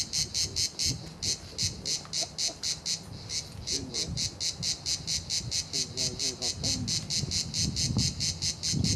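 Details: Cicadas at La Garoupe on Cap d'Antibes, France, on the way to Juan-les-Pins: a harsh, buzzy pulsing chorus repeating about twice a second, with faint low murmurs and rumbles underneath.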